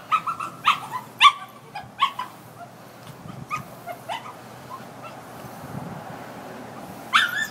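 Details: A little dog, tied up and left alone outside while its people went inside, seems very upset and gives a run of short, high whines and yelps, then a longer rising howl, as if wondering where its friends went.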